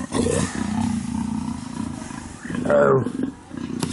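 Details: A female black leopard in heat roars repeatedly to call a male while pacing up and down her enclosure at Cheetah Experience: deep, drawn-out roaring growls with a louder rasping burst near the end.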